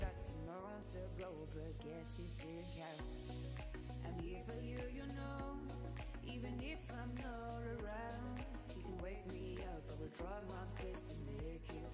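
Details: Sung pop music with a steady bass line and layered vocals fills the whole stretch, with no animal voices.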